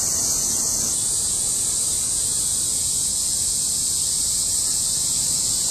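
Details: Many cicadas singing together in August 2008, a continuous shrill buzzing wall of sound that barely changes in level, slightly brighter in the first second, over a faint low rumble.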